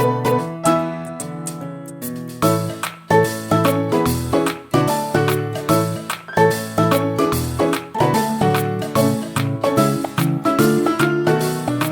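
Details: Bright piano music plays throughout, with no animal calls.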